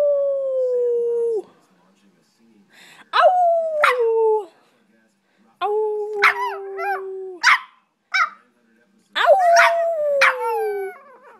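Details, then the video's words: A female Boston Terrier howls in long, wavering, slightly falling notes, while a person praises her between howls. "Boston Terrier Howling"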